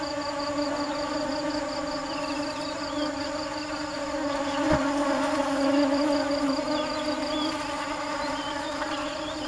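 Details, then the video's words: Foraging bees hunting for sweet nectar: a constant humming drone that swells louder in the second half, a quick high pulsing insect trill, scattered bird chirps and one sharp click. "Tiếng kêu và hình ảnh những chú ong chăm chỉ tìm mật ngọt"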